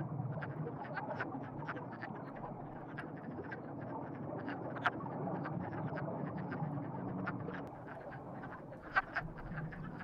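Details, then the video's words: A chorus of frogs said to be in love, giving a steady stream of short, clicking croaks that overlap continuously above a low background hum. "Frogs in Love"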